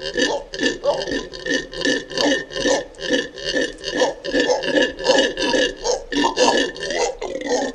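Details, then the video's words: Howler monkey giving a loud, deep guttural roar in steady pulses, roughly two to three per second, sustained without pause, with no other sounds. "What does a Monkey sound like? (Howler)"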